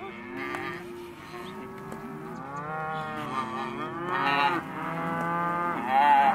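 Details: Calves of Hereford and white-faced type in a sale lot, several separate moos rising and falling, a louder higher bawl near the end, others calling underneath.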